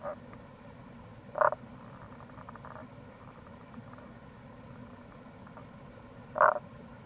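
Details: Tago's brown frog (Rana tagoi) near a gorge at the Kamo River, Itoshima, Fukuoka, Japan, in April: two brief harsh croaks about five seconds apart, quiet low hum between them.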